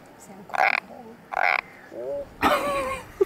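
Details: Hand-held frog gives two brief nasal croaks less than a second apart, then people talk close by.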